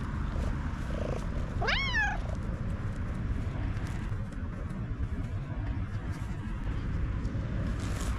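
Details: A contented black domestic cat purrs excessively in a steady low rumble, with one short, high, kitten-like meow near the start.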